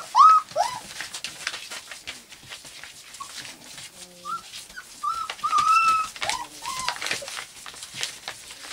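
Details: White golden retriever puppies aged four weeks, indoors, giving scattered short whining squeaks, one brief and loud near the start and a cluster midway, amid rustling and low background noise.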